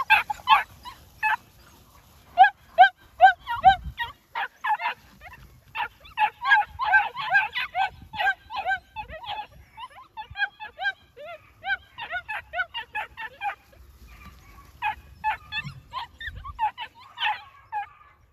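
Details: Yelping New Zealand Huntaway puppies produce long runs of clipped, high-pitched yaps in rapid series, pausing briefly between bouts, with occasional low thumps beneath.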